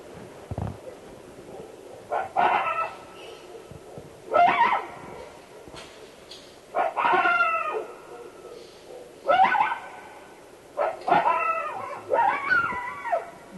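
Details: Non-typical coyote vocalizations from Northern California: harsh, yelping barks with bent, wavering harmonics come in short bursts about every two seconds. Between them are quiet gaps with faint clicks.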